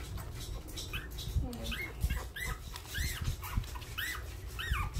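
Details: Hungry newborn puppies crying: repeated thin, arched whining squeals rising then falling, several overlapping, roughly every half second, over soft rustling and low background rumble.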